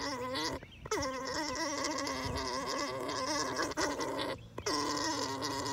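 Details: An alpaca's buzzy, gurgling mating call during breeding, droning steadily with a wavering tone and brief breaks.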